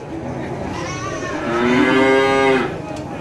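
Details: Tame farm cattle waiting to be called: a single long moo swells from a quiet start into a loud, sustained, slightly wavering bellow, then fades after about a second.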